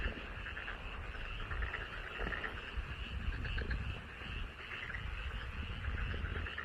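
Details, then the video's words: Many frogs in a paddy field in front of a house produce an unbroken chorus of rapid, rattling croaks, steady in loudness, over low-pitched background rumble. "개구리소리 함께 들어요.집앞 논에서"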